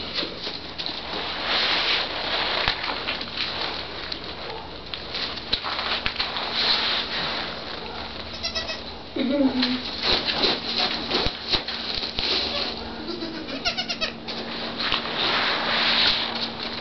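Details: Newborn twin Nigerian Dwarf goat kids, three days old, playing and jumping shortly after birth; a brief wavering bleat rises and falls near the middle, over steady low hum and people talking nearby.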